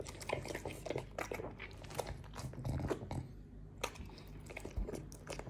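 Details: Chewing a fruit plate indoors, Morty the French Bulldog makes crisp crunching bites and moist smacks that arrive several times a second in uneven runs, with brief pauses between mouthfuls.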